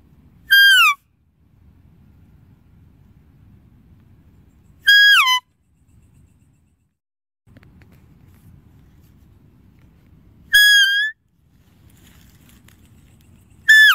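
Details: Deer calling with brief, piercing whistles that slide downward, repeated roughly every five seconds, with quiet low background murmur between the calls.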